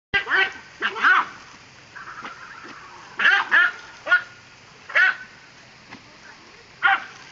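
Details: Dachshund playing with water, giving scattered high, sharp barks and yips in irregular bursts, some doubled, over a faint background hiss.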